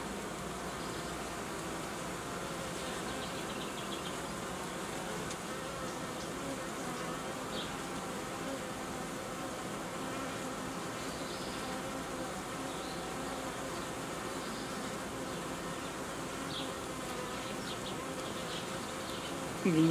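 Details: Apiary honey bees during work to unite colonies and swap old queens for young ones; a continuous, unchanging hum of a crowd of bees for twenty seconds, with scattered faint higher ticks and a short knock at the end.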